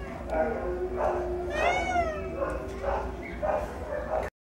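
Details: Domestic Shorthair cat available for adoption at a shelter, giving a long rising then falling meow with clear harmonics, amid other shorter cat-like calls and steady low background hum.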